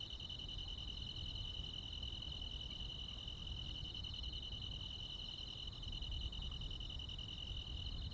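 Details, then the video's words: Crickets and other insects on a midsummer night in the countryside: a dense, unbroken high trill with a faint pulsing shimmer runs throughout, over a low background rumble. "시골 야간 귀뚜라미, 벌레 소리"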